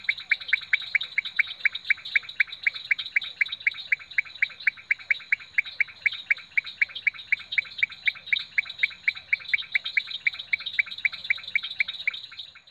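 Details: Leptodactylus podicipinus at Rio Claro Farm giving a fast, even series of crisp, tapping notes, roughly four per second, sustained throughout, over a thin, steady high whine in the background.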